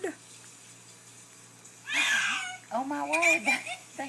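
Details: Sylvie, a pet cat, just bathed and calling indoors: after quiet room tone, one short, strained meow of about half a second, then a woman talking over the end.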